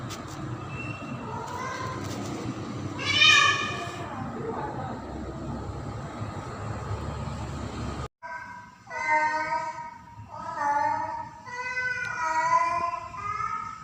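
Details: Pretty, a female domestic cat in heat, moving in and out of the house in mating season to call a tom: a noisy first half with a sharp burst, then a run of repeated, pitch-bending yowls, each a second or so long.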